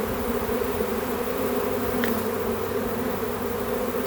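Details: Honey bee swarm in a back yard, heard as a thick, constant hum of countless wings, with one brief higher whine passing near the middle.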